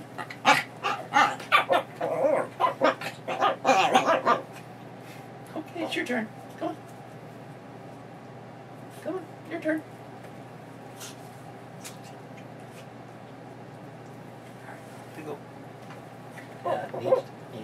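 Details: Pebbles, a female Chihuahua mix foster dog recovering from knee surgery, yips and whines in rapid, eager bursts while her leash is put on before a walk.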